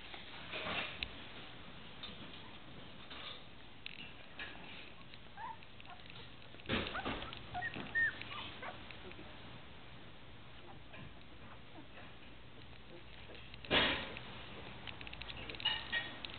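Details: Newfoundland puppies, two weeks old, make scattered faint whimpers and thin squeaks, separated by pauses and interrupted by sharp thumps and handling noises.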